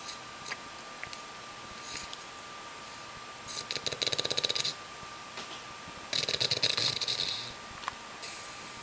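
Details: Olde English Bulldog named Buddy sleeping in his cage, head propped on his new toy. Quiet stretch, then two rough, hissing snore bursts, each about a second long. A thin electrical hum runs underneath.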